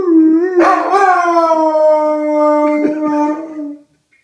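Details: Red Dobermann 'singing the blues' gives a single howl that starts wavering, jumps into a louder rising wail, then holds a long, slowly falling tone and fades out into silence near the end.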